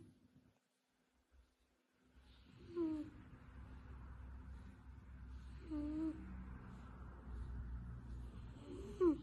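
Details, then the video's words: Snow-white kitten making odd noises while asleep: three short, thin rising-then-falling squeaks about every three seconds over soft, steady low breathing in a quiet indoor room. "Adorable snow-white kitten makes strange noises in his sleep"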